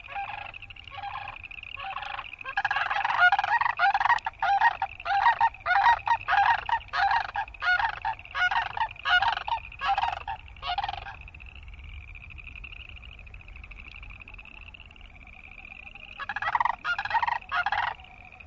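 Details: Boreal chorus frogs calling close by. Loud, rasping pulsed trills, each under half a second, repeat rapidly for about eight seconds, then pause. A softer high pulsing chorus continues, and the close trills return near the end.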